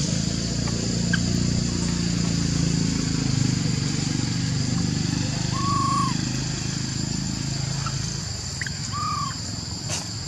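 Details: Lori, a monkey who could not use her legs, calls Amari to help her up a tree with other baby monkeys; two short arched tonal calls several seconds apart above constant buzzing background noise and low rumble.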